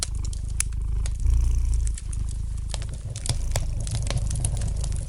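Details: Gentle purring from a domestic cat, a deep continuous low throb that strengthens briefly mid-clip, accompanied by a softly crackling fire in a fireplace with sharp intermittent snaps.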